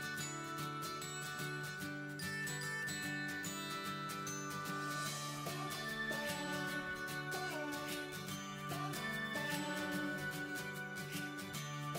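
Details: Steady jingling music with bell-like tinkles and sustained tones plays throughout, and no animal voice is present.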